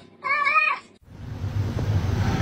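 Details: A domestic cat 'talking' gives one clear, level, harmonic-rich meow about half a second long, followed by a steady low rumbling background noise.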